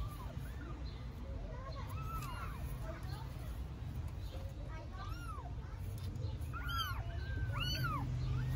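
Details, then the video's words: Newborn stray kittens in Istanbul meowing loudly for their mother because they are hungry; several high, arching, repeated mews overlap, thinning then bunching toward the end, over a steady low rumble of traffic or background noise. "Newborn kittens meow loudly for mother cat because they are hungry"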